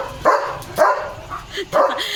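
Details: German Shepherd barking and jumping on evening guard duty at a farm: three rough barks spaced about half a second to a second apart, partly masked by loud broadband background noise.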